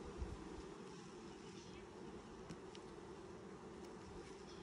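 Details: Honey bees at a first hive inspection in 2020, six days after the nucs were installed: a steady, dense low buzzing hum runs throughout, with a faint click now and then.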